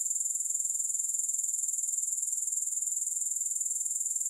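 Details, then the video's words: Grasshoppers producing a dense, shrill, high-pitched stridulation in quick regular pulses, about four each second, with no pause throughout; no music or other sounds accompany the insects. "3 Hours of Grass Hopper Sounds"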